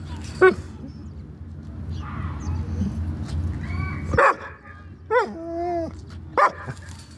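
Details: A dog eager to play with a cat across the street. There is a low rumbling background, then short sharp yips and a sudden yelp, a drawn-out level whine, and one more yip at the end.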